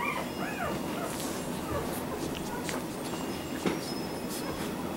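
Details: Four-week-old Labrador Retriever puppies give a few thin, arching whines over a steady, hissy background.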